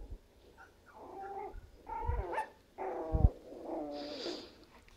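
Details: Havanese puppies at five weeks old, from a litter of seven (three females, four males), giving a few short, harmonic whines and yelps spaced over five seconds, with faint low thumps between them.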